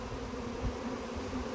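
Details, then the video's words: A close, loud honey bee swarm buzz, a thick low droning hum with wavering tones over a brief moment, bees in a box appearing to be signaling. "Bee SWARM!"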